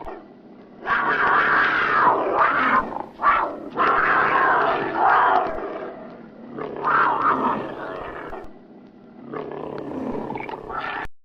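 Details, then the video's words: Angry tiger in a fight: long, loud, raspy snarling roars in three or four drawn-out bursts, each lasting one to two seconds, separated by brief quieter breaths. "the sound of the tiger brooding, the angry tiger, the talking tiger, the fighting"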